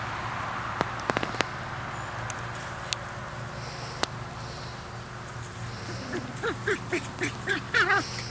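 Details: Seven-week-old Welsh Terrier puppies from Lilly's first litter, playing: after scattered sharp taps and clicks, a quick run of short, high, arched yelps and whimpers, about eight in two seconds, over a low steady hum.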